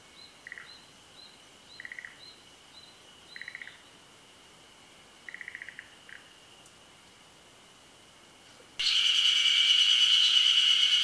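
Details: Forest green tree frog, endemic to Japan, at a midday spawning over still water. Short pulsed croaking bursts repeat about every 1.5 seconds over a steady high insect tone. A loud buzzing insect chorus swells in near the end.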